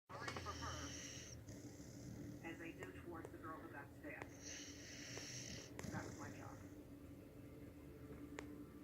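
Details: King, a sleeping dog, snoring indoors: long raspy, hissing breaths come about every four and a half seconds, with soft human talking between the snores.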